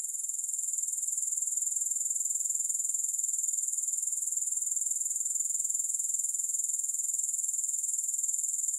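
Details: Grasshoppers in a steady, high-pitched insect chorus, a continuous shrill buzzing pulsing rapidly about four times a second without pause, no music or other sounds.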